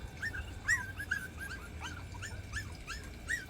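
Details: Two young country puppies, about 40 days old, whine at the foot of the stairs, unable to climb up, while their littermate has already made it to the top. High, brief, slurred whimpers repeat at an uneven pace.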